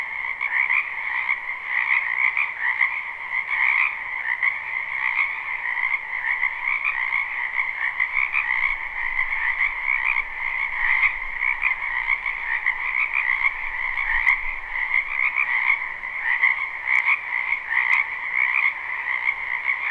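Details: A dense spring chorus of frogs in a wetland, recorded live without looping: high, trilling calls overlap into one unbroken, pulsing wall of sound.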